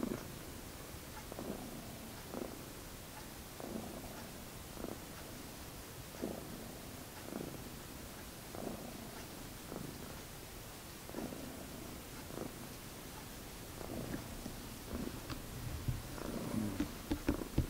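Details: A friendly tuxedo house cat purring steadily at close range, a soft low rumble swelling in gentle pulses about once a second, with faint handling noises growing toward the end.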